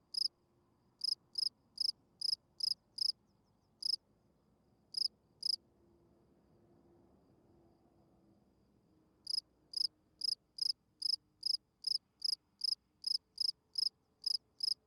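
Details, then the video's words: Spring field cricket calling at night to attract females. Steady, high, three-pulsed chirps repeat about every half second, stop for several seconds while a faint low hum rises, then resume in a brisk, even run. "Field Cricket chirping"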